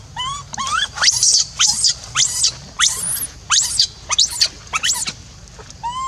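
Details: Abandoned and alone, a monkey cries until losing its voice to call a companion back: piercing high shrieks in rapid bursts, about one per half second, bracketed by softer rising coos.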